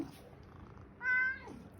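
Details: Attention-seeking male pet cat on a morning indoors, owner busy on the phone; a single clear, steady meow lasting about half a second, ending in a downward slide, after quiet room noise.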